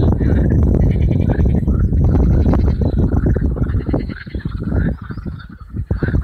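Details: Marsh frogs by the hundred at Allhallows marshes, North Kent, in May 2015 on a warm evening; a dense rattling, chuckling croak chorus, loud at first, then thinning into separate pulsed bursts toward the end.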